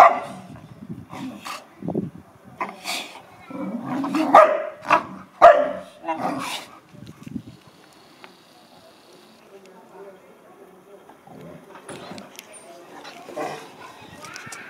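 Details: American Akita at play with a Chow Chow; a run of sharp barks and growls in the first seven seconds, then quieter grumbling and faint whines, with some speech.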